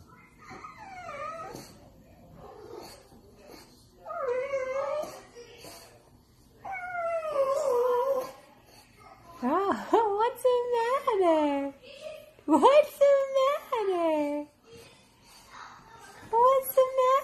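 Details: A French Bulldog begs for Chinese food with wavering, talkative whines and yowls that rise and fall.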